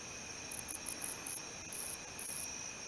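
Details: Male wingless meadow katydid, Odontoxiphidium apterum, calling in very high, hissy buzzes: five short pulses in quick succession, then two longer drawn-out buzzes, with a faint constant hum behind.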